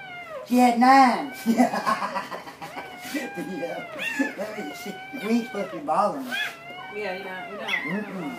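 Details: Dobermann dogs during a birth after a female has been in labor all day: high, wavering whining squeals that rise and fall in quick succession, with a person softly speaking praise between the cries.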